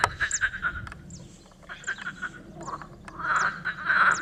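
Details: Tyrrhenian tree frog calling in rapid pulsed bursts, each a quick run of short, nasal croaking notes. The bursts repeat through the recording and grow louder toward the end, with a few faint, higher chirps between them.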